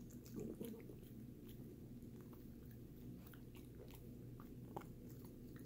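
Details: Pet dog Sammie crunching a Greenies treat indoors; a burst of loud bites opens the recording, followed by continuous wet gnawing clicks and occasional sharp cracks against a constant low background hum.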